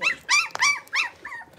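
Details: Six-week-old blenheim Cavalier King Charles Spaniel puppies from a litter of five, whining in short arched, high-pitched yelps that rise and fall, about five cries in under two seconds with brief gaps between.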